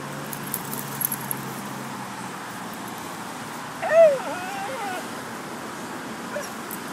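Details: Foxy, a female spitz-chow dog on a morning walk, whining after spotting a squirrel in a tree; one loud, high, slightly falling whine with overtones midway, otherwise quiet outdoor background noise.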